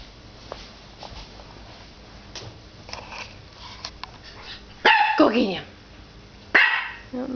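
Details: A nine-week-old puppy barks at its own reflection in a glass fireplace door indoors. Two sharp, high, yappy barks come about 1.7 seconds apart, and the first is doubled. Before them the room is quiet apart from soft background noise.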